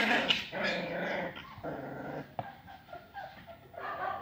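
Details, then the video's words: Aggressive Rhodesian Ridgeback puppies growling and snarling almost without pause, a rough, rumbling stream broken by a few sharper yips, steady and loud from start to finish. "Aggressive ridgeback puppies"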